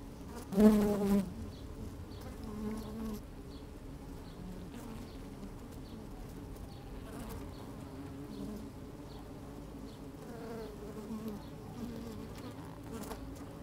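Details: Working honey bees in an open hive, recorded with a microphone lowered into the hive on a sunny day: a sharp, loud buzz near the start, then a softer, even hum of bees moving about.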